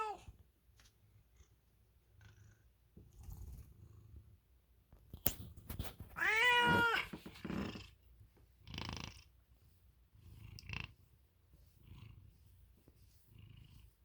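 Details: Milo, an American Ringtail cat, lets out one bright, drawn-out meow amid quiet stretches, soft rustling and scattered clicks.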